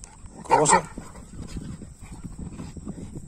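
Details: Pit bull named Shera, described as a fighter, during grip practice in Haryana: one loud, short, harmonic bark near the start, then low scuffling and handling noise with people talking in the background.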